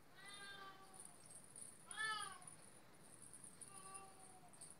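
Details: Oriental or Siamese cat meowing indoors: three drawn-out harmonic meows, the middle one loudest and rising then falling, the last softer, with faint background hiss and a steady high electronic whine.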